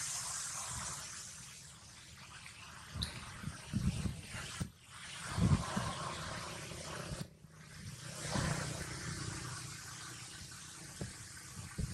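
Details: A continuous outdoor hiss fills the recording, broken by dull low-pitched thumps and knocks that suggest handling, water or a passing vehicle. No clear animal call rises above the noise.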